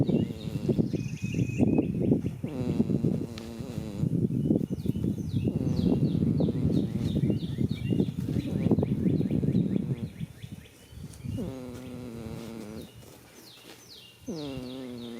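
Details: Sleeping goat in a field on the first day of spring, giving a long, loud, rattling snore for ten seconds, then softer tonal, groaning breaths. Birds chirp steadily in the background.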